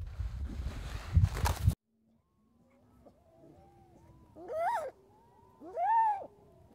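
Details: A baby harp seal pup (Pagophilus groenlandicus) gives two wailing, arched cries, rising then falling like a bleating human baby.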